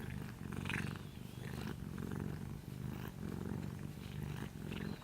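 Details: Asleep, a little orange cat purrs in deep pulsing waves, each in-and-out breath heard as a swelling rumble roughly once a second.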